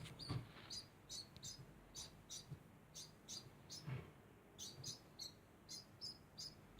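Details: A degu chirps without pause, giving short high squeaks in quick succession. Dull knocks sound underneath, loudest near the start and around four seconds.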